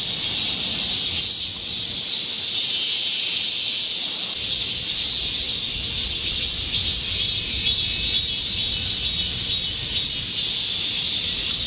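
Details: Korean cicadas chorusing in a green midsummer forest during a heatwave on 25 July 2024: a dense, unbroken high buzzing wall of sound that holds steady throughout, with faint squeaky notes and soft low rumble beneath.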